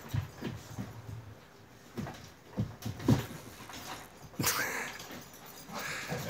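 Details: Two Akbaş shepherd dogs, Zeyna and Güdük Reis, playing together in Turkey; short breathy huffs and panting bursts come every half second or so, with scuffling thumps, then a sharp broadband burst partway through.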